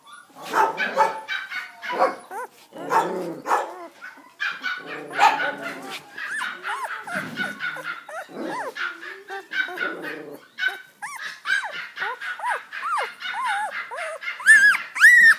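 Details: Male Border Collie puppy yapping and whimpering: choppy barks give way to strings of high, bending whines and yelps, ending in shrill squeals; a voice is faintly heard.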